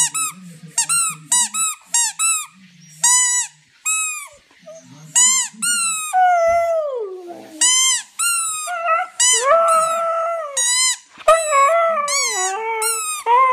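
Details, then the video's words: Siberian Husky singing in a long run of short, squeaky yelps with rising and falling pitch, broken up by longer wavering howls that slide downward. The calls come in quick bursts with brief pauses between them. "Siberian Husky Song"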